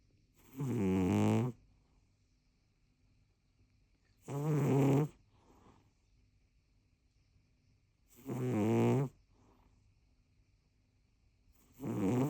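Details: Rescue cat Rincharo, aged 4 years 7 months, snoring heavily: deep, rasping snores with a low buzzy core, each lasting under a second and returning about every four seconds, separated by quiet pauses.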